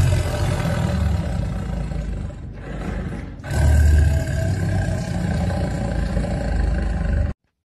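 A tiger gives a deep, rumbling roar that swells and fades in heavy, throaty bursts.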